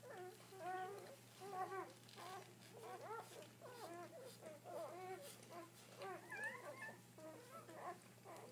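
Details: Several newborn Dobermann puppies, seven delivered so far with more still coming. High, wavering mewing cries and squeals from the pups follow one another almost continuously, some rising sharply, above a steady low hum.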